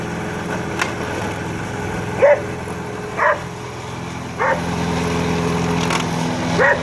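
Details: A Border Collie, Pete, treats the lawn mower as something to herd. Four abrupt barks come about a second or so apart, each brief and punchy, set against the continuous droning motor.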